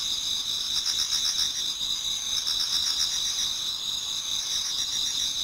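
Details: Many insects singing in a Japanese garden on an autumn night before dawn; continuous high, ringing trills with quick regular pulses woven together into a steady shimmering chorus.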